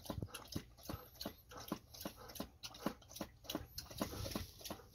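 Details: Golden Retriever, one of the pair Ibuki and Kohaku, thirstily lapping water after a walk: steady, rhythmic splashy tongue strokes, close together, with faint room noise.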